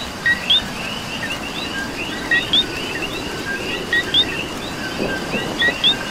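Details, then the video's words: Coqui calling through rainfall in Puerto Rico: four clear two-note whistles, low then high and rising, spaced roughly every one and a half to two seconds. A background frog chorus and rain noise continue throughout. "Coqui and Rain"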